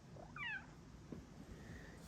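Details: Female house cat wanting cuddles with her owner utters one brief meow that rises and then slides down, over low room hum, while her owner speaks gently to her.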